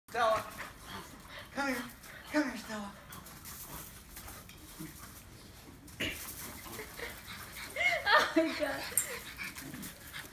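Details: French Bulldogs attack each other, trading snorting growls and high whines as they scuffle, with people talking over them.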